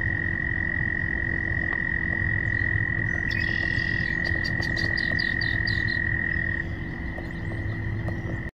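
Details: Frogs court in a thick chorus, with a sustained high, level trill running almost throughout, rapid low croaks beneath, and a brief burst of faster clicking notes in the middle.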